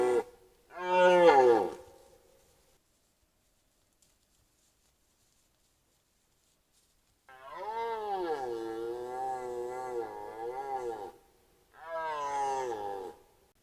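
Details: Bull red deer filmed by a camera trap in the 2025 rut gives a short falling roar, falls silent for several seconds, then lets out a long wavering bellow followed by a brief third roar.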